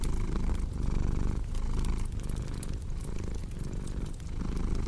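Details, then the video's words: Steady cat purr, a soft low rumble rising and falling in breath cycles about a second apart, with light crackling from a fireplace behind it. "Purring Cat with Cozy Crackling Fireplace Sound"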